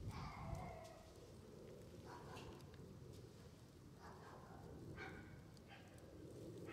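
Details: Red male Shiba Inu puppy, born January 24, 2021 and 21 days old, an only pup beginning outdoor play with its mother; thin high squeaky whines, some with a falling tone, come every second or two over steady rustling background noise.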